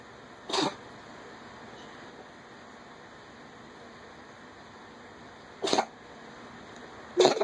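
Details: Pet cat retching while bringing up a hairball, three abrupt raspy hacking bursts, one early and two close together near the end, separated by long quiet gaps.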